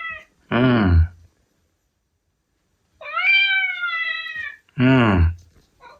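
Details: Indoor male Ragdoll cat calling to its owner: one long drawn-out tonal meow of about one and a half seconds, flanked by two short bursts of a man's voice speaking Japanese about food.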